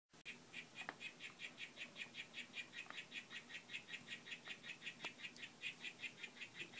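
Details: Harlequin poison frog, Oophaga histrionica of the Whitefoot form, one of a group courting and displaying: a steady run of short buzzy pulsed notes, about two and a half per second, continuing evenly for the whole stretch with a few faint clicks.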